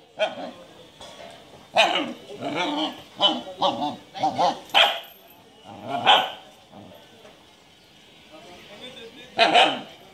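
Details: Japanese Shiba Inu giving short, sharp barks in separate bursts, a cluster of several quick barks in the middle and single loud barks near the end, with quiet gaps between and human voices mixed in.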